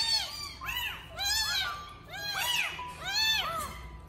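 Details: Four abandoned baby street kittens, rescued from a trash can in Vietnam and hungry, calling for their mother: loud overlapping arched meows rising then falling, several voices crying over one another in a small room.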